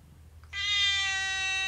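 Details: Domestic cat letting out one long, drawn-out, steady meow lasting over a second, rich and bright in tone, above a low background hum.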